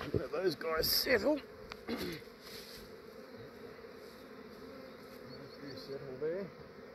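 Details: Australian honey bee swarm being collected at dawn, before the bees became active; brief human speech-like sounds and handling noises open, then a lower steady hum of massed bees continues.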